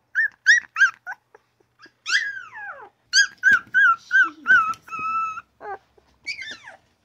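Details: Newborn puppy crying and yapping: a run of short, high, whining yelps, some sliding down in pitch, with brief gaps and a few longer drawn-out whimpers near the end.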